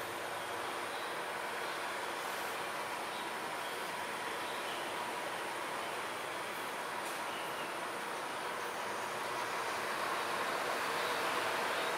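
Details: Steady broadband rumble like a passing train or vehicle, with no animal calls standing out.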